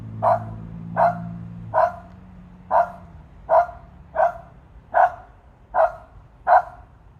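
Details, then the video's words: Excited pet dog Jenny barks repeatedly at a bird thought to be a turkey vulture up a tree, nine short sharp barks in a steady run, each under a second apart. "Dog talks to birds"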